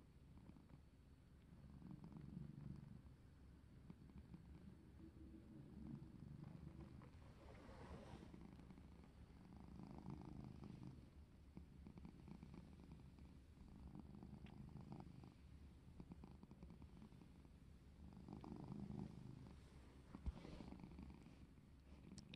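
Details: Pet cat purring during play, a deep continuous rumble that swells and fades in rhythmic breaths every couple of seconds, with faint rustling and a brief click near the end.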